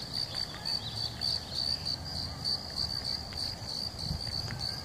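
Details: Crickets calling in California with a steady, high-pitched chirping trill pulsing several times a second.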